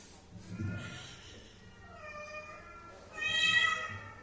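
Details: Domestic cat giving two drawn-out harmonic meows, the first near the one-second mark and a louder, brighter one toward the end, with faint low rumbling and background room noise in between.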